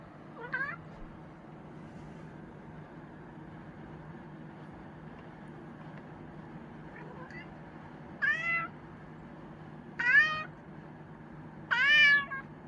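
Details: Chinchilla cat giving a short faint meow, then after a pause three louder, bright meows in quick succession about two seconds apart, with a steady low hum behind.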